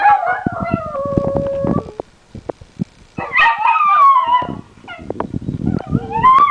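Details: Two Italian Greyhounds, set off barking at something outside a window, egg each other on into long, wavering howls overlapping with yips and whines.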